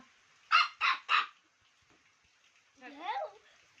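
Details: Pet Chow Chow puppy Laddu lets out three sharp, close-spaced yaps, goes quiet, then adds a wavering whiny yelp, against a low room hiss.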